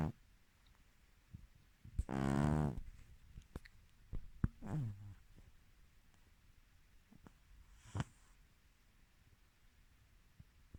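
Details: A female Silver Spotted British Shorthair cat snores in loud, rasping, low-pitched bursts separated by quiet pauses.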